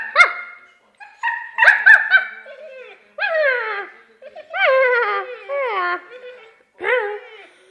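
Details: Siberian husky singing: a run of short, bending, yodel-like tonal cries, some rising then falling, broken by brief pauses, with a rich, clear harmonic voice.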